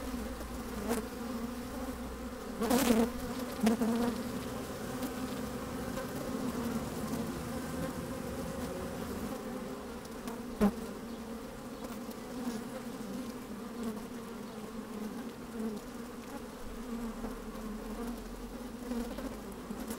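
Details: Busy honey bees inside an open hive on a sunny, breezy day, mic lowered among them: continuous humming drone, with a couple of brief louder buzzing bursts and knocks as bees move past.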